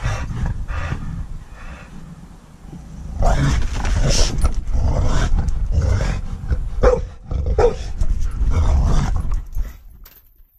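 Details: Bailey, a three-year-old rescue pit bull, and Darker the husky chase each other in a backyard: repeated throaty play growls and snorts, quieter at first, then loud, dense bursts with a few sharper yips, over steady low rumbling.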